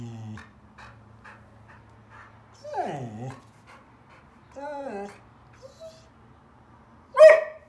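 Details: Border Collie named Finn on his fourth birthday, overwhelmed by his gift: a brief human voice, then soft rhythmic pulses, two drawn-out whines sliding downward, and a sharp loud bark to finish.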